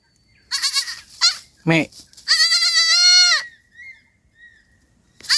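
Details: Night in a forest: a young goat missing its mother cries with short wavering bleats, a man briefly speaks, then a long sustained, trembling, high bleat of about a second fades into quiet.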